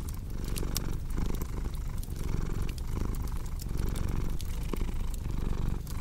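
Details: Steady rumbling purr from a cat, its low buzz cycling louder and softer about once a second, with bright crackling clicks from a wood fire scattered throughout.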